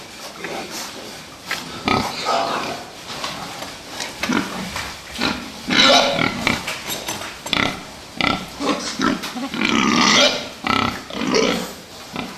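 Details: Fattening pigs kept for meat, grunting and squealing in a busy pen; overlapping harsh squeals and rough grunts come in irregular bursts, several animals calling at once amid knocks and rattling.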